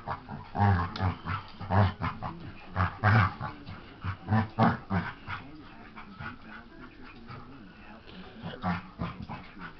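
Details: A dog playing with his baby sister, giving low rumbling growls in bursts about once a second, mixed with scuffling and a few whimpers, grunting pulses repeating irregularly throughout.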